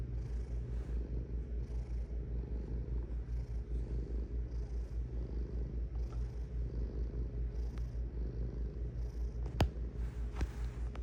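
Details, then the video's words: Domestic cat purring steadily: a deep, low rumbling throb pulsing about two and a half times per second, even and continuous, with faint soft rustles and a sharp click near the end. "Purring Cat"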